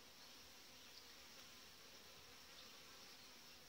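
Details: Honey bees of a strong colony in the hive in July, well developed, headed by a breeder queen; a dense, steady, broadband hum with no breaks, fairly quiet and even throughout.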